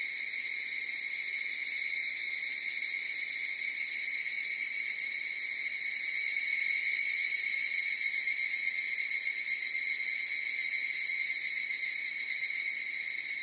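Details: Higurashi, the evening cicada, sings as a chorus: an unbroken high-pitched ringing drone with layered overtones, swelling gently in loudness near the middle and fading slightly at the end, with no competing sounds.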